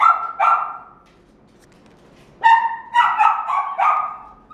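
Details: A male red-and-white Welsh Corgi puppy, born 23 September 2018, gives sharp, high-pitched barks in two quick bursts separated by a pause.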